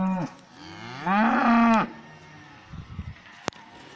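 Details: A cow in a pasture gives a brief low call, then a loud rising moo with bright harmonics, followed by soft thuds and a single sharp click.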